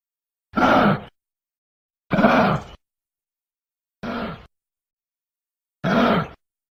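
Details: Giraffe giving four short, rough grunting snorts, each about half a second long and spaced roughly one and a half to two seconds apart, with silence between bursts.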